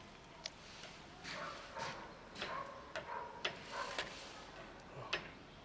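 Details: Fluffy female cat that refuses to be petted but thanks her feeder for food; a run of short, tonal mewing calls follows in quick succession, with sharp ticking clicks and light rustling indoors.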